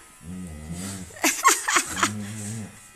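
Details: Siberian Husky wailing dramatically indoors while its paw fur is shaved: two drawn-out, low, wavering howls with rich harmonics, split by a burst of noisy clatter and a person's voice.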